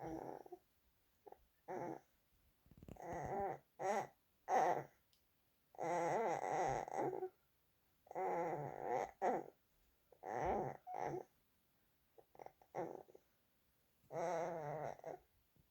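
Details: Holden, a dog, making noises before bed: roughly a dozen bursts of harmonic, wavering whines and groaning grumbles, some drawn out over a second or more, separated by short quiet gaps in a still indoor setting.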